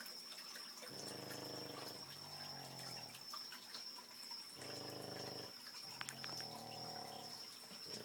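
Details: A Boston Terrier snores at 2 a.m., loud enough to hear from the next room, in rasping, buzzy breaths of about a second each, with in and out breaths paired.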